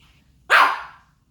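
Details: Single harsh, noisy yap from Baebae, a Pomeranian puppy talking back, bright and slightly rasping, tailing off over half a second in a quiet indoor space.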